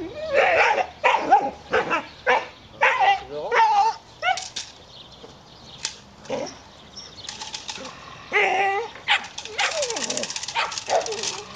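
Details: Dobermann during training, giving a rapid series of short, harsh barks in bursts of two or three, with pauses and rustling noise between the bursts.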